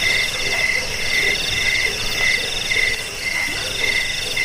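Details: Cricket chirping meant for scaring off rats, helping sleep and bird song training; repeated high trills roughly every half second over a busy, droning chorus of calling creatures.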